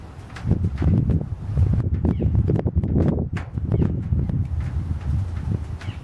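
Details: Deep, guttural grunting from female American alligators at Lake Tarpon near Tarpon Springs, Florida, heard from a pier over the water: low throaty bursts follow one another closely across six seconds, with faint bird calls above.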